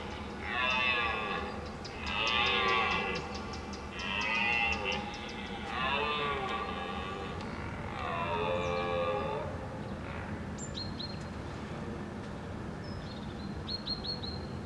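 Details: Red deer stags in the 2022 rut, roaring to impress rivals, give a series of drawn-out, harsh, moaning bellows, repeated about every two seconds.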